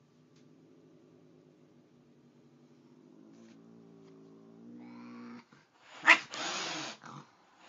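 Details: Angry cat meeting a nice cat indoors: a soft rumbling growl builds into a rising, louder moan, then breaks into two explosive spitting hisses near the end.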